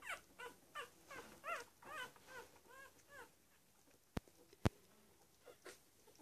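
One-week-old Cavalier King Charles Spaniel puppies give thin, arching whimpers and squeaks in quick succession.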